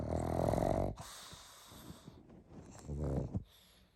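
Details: A pug asleep, snoring loudly: a long buzzy, rattling snore with a harmonic drone lasts about a second, followed by softer wheezing breaths and a second shorter rattling snore.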